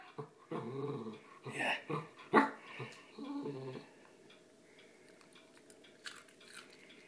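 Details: A Shetland Sheepdog growls on command with drawn-out, harmonic rumbles that rise and fall through the first three and a half seconds. The rumbles then give way to near quiet broken by faint clicks.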